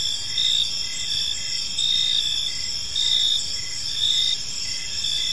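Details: Evening park chorus of crickets: high, shimmering continuous trilling with a brighter pulsed chirp rising and falling about once a second.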